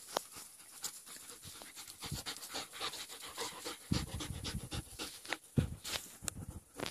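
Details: Young German Shepherds at play, panting in quick, breathy puffs throughout, with scattered scuffs and a few sharper huffs near the middle.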